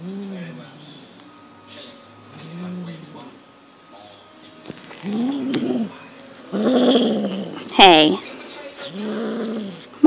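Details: Monty, a six-month-old Highland Lynx cat, is caught up in instinctive play with a fox tail. Low, repeated, bowed growls build into louder, harsher rumbles, broken by a sharp rustling burst and clatter.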